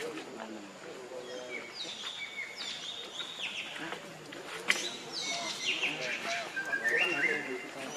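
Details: Hungry baby monkey named Leo crying to its mother, begging for milk: thin, high wailing cries that slide downward in pitch, given in several drawn-out bursts, with people talking quietly in the background.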